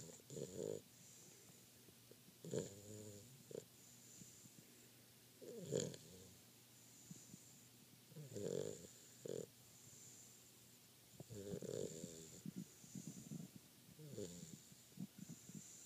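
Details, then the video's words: Sleeping Dogo Argentino puppy, tired out, snoring indoors: rough, throaty breaths with a buzzy tonal edge, each snore a short burst repeating roughly every three seconds, with softer wheezy breaths between and a faint steady hiss behind. "Snoring Dogo Argentino Pup"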